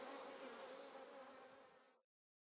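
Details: Thriving treatment-free honey bee colony in a nearly full top bar hive during splitting: continuous buzzing drone of many bees for about two seconds, then silence.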